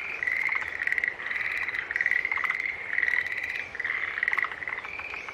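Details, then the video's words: A dense chorus of green tree frogs, with overlapping nasal, pulsed calls merging into an almost continuous mid-pitched honking that swells and fades in waves about every second. "Sounds of Green Tree Frog Call"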